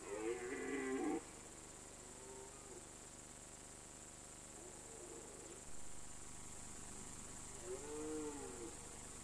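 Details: Red deer stag roaring during the autumn rut on an alpine mountain pasture. A loud, drawn-out harmonic bellow opens the recording, then fainter moaning calls follow near the middle and end, over a steady hiss.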